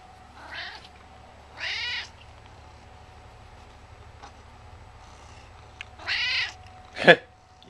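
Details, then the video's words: Chatty house cat around eleven years old, usually sleepy, meows three times in a few seconds, each call bending up then down, with a sharper yowl near the end; his owner talks encouragingly in between. "he's so talkative!"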